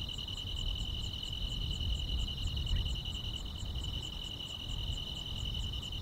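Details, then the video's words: On a summer night, grass insects hold one constant high-pitched trill while a second voice adds rapid, evenly spaced high ticks, over a gentle low rumble. "여름밤의 포근한 풀벌레 소리"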